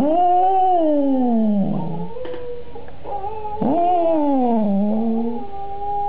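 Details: Cocker spaniel singing along after hearing another cocker spaniel sing from a computer: long, wavering, tonal howls that slide downward, a short rough break near the middle, then a second drawn-out howl dipping and rising again.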